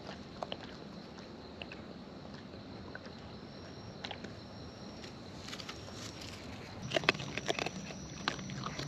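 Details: Close-up raccoons in the wild eating, giving natural chewing sounds: scattered soft bites at first, then a denser burst of loud crunching and clicking near the seventh second, with a faint steady high hiss throughout.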